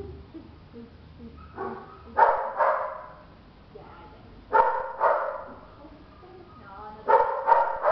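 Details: Belgian Malinois, a two-month-old female puppy, gives short harsh barks and yips in three bursts around two to three seconds apart, with faint background sounds between.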